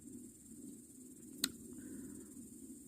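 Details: Crickets chirp beside a dying campfire on an August evening in the Urals. A continuous high-pitched trill holds steady throughout, cut once by a single sharp crack, with a low rumble underneath.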